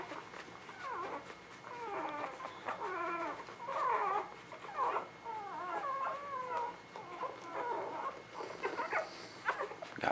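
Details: Newborn puppies in spring 2017, a chorus of thin, high squeaky whimpers overlapping in quick, wavering bursts, some rising and falling, with soft rustling underneath and a brief hiss near the end.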